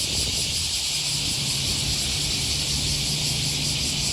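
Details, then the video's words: Steady high buzzing of cicadas along the Okawa River in Osaka, Japan, on an August 2020 morning walk near Sakuranomiya Park, unbroken and shrill, with a low hum from the city beneath. "Walking along the river, with the voice of a cicada"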